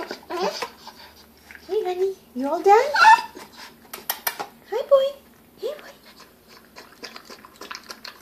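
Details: A 7-week-old Bull Terrier puppy, fed food, makes short, squeaky whines and grunts that bend up and down in pitch.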